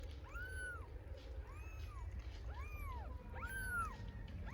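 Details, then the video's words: Hungry stray kittens in Istanbul meowing for their mother cat: four high, arched mews, each rising then falling, roughly one per second, over steady low background rumble. "Incredibly cute kittens meow for mother cat because they are so hungry"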